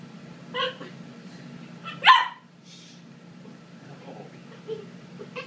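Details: A 12-week-old Corgi puppy playing with a boy at home gives a short, loud, harmonic bark in the middle, with softer yips before and after it.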